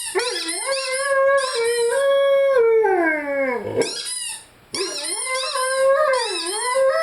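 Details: Rhodesian Ridgeback Lyle howls with his favorite toy: a long steady howl that slides downward into a low groan, a brief pause, then renewed wavering howls mixed with bright squeaks.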